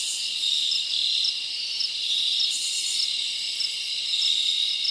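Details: Summer night in the forest with crickets chirping: a steady, high, shrill trill that carries throughout, punctuated by quick bright pulses.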